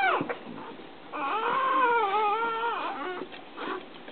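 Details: Newborn puppy being licked by its mother just after birth, giving a drawn-out, wavering whimper lasting about two seconds that dips and rises in pitch, with faint rustling around it.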